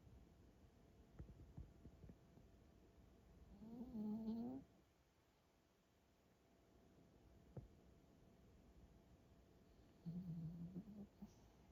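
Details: Tired dog snoring in its sleep indoors, two separate low droning, nasal tones about six seconds apart, each lasting under a second, with a quiet room hush between them.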